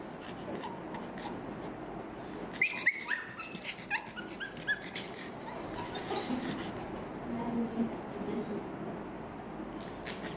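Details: Small pugs in Malaysia whine in high, thin, wavering cries while begging for food.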